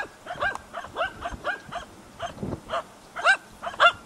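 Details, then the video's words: Two hunting dogs, Prle and Pirana, bark over a dead deer at Salas, 8 September 2012: irregular, ringing barks roughly twice per second, some louder and higher, with faint background rustle. "ABBAIO AL CERVO MORTO"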